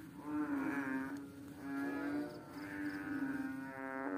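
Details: A small, fat water frog on a slippery rock gives long, droning, nasal notes, each about a second long, repeated with brief pauses.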